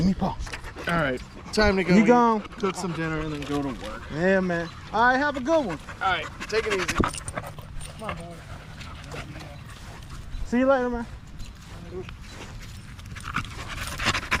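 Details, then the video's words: Staffordshire Bull Terrier in a group of male dogs at a park in the evening, 'talking' in a string of howly, wavering yowls that rise and fall, several back to back in the first seconds, then fewer and quieter, with light outdoor background. "Long evening at the park male wolf pack chat"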